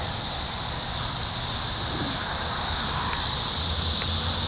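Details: Brood X 17-year periodical cicadas heard but unseen in Sharonville, Ohio, June 2021, with shed skins on the ground beneath a crab apple tree. A continuous shrill buzz swells slightly over a low background rumble.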